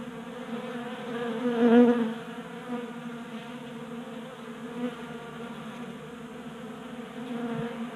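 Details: Honey bees at a tabletop 3D printed feeder in a Colorado garage during a warm January spell; steady humming swarm with one bee flying close near two seconds, producing a louder, sharper buzz before fading back.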